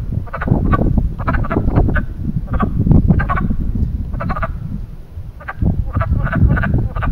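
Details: Spring mating chorus of frogs at a small man-made pond in Western Pennsylvania: loud, dense croaks overlapping in irregular bursts, several callers at once, with steady low rumble beneath.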